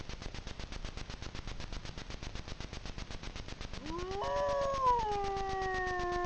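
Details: Grey wolf pair at night in Frýdlantsko, Czech Republic, recorded by a camera trap; steady ticking hiss for nearly four seconds, then a rising howl joined by a second voice, both holding long, level tones.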